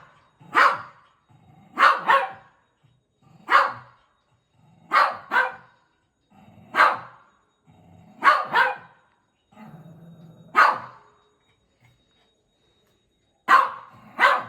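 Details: Shih Tzu dog barking during play, about ten sharp barks in loose pairs and singles spread over fifteen seconds, each a bright burst with a clear gap of silence between.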